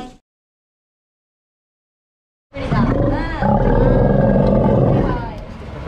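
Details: Elderly Steller sea lion cared for at Ise Sea Paradise aquarium, Japan: after a stretch of silence, one loud, rough, low roar lasting about three seconds, wavering in pitch with bending overtones, then fading.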